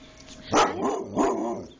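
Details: Alaskan Malamutes at home in Holland, Michigan, on a snowy morning; two loud, short barks about half a second apart, each followed by a brief ringing tail, with a person speaking around them.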